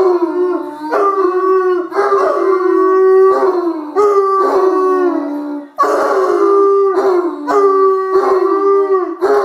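Bloodhound howling in long, mournful notes that rise and waver, repeated in overlapping bursts.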